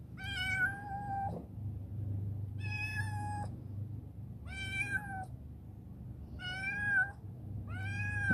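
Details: Chibikuro, a rescued black female former stray living in a storehouse and turned affectionate, gives five drawn-out harmonic meows at uneven intervals while being urged to eat, over a steady low hum.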